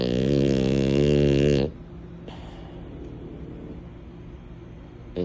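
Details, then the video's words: Mini, a female French Bulldog, snoring while asleep: one long, loud, rasping rumble with a deep buzzing tone lasting under two seconds, then quiet breathing and low room hiss, with a faint start of the next snore at the very end. "Snores for days! Mini gives a masterclass in snoring like a pro."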